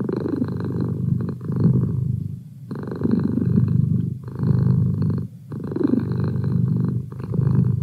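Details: Close, loud purring from a pet cat, a deep continuous rumble that swells and dips in breathing cycles, with short quieter gaps roughly every one and a half to two and a half seconds.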